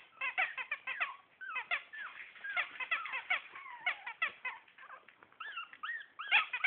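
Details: Litter of Shih Tzu puppies at four weeks old giving rapid, overlapping squeaky yelps and bent whining chirps, several callers at once, continuous throughout with brief dips.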